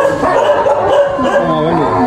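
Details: Several little dogs receiving charitable care give overlapping high yelps and whining tones, held and wavering, forming a dense, continuous chorus.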